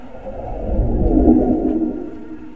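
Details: Honey bees in a small hive box at twilight: a dense, steady low droning hum with layered harmonic bands, swelling gently toward the middle of the clip and then easing off, with no other distinct sounds.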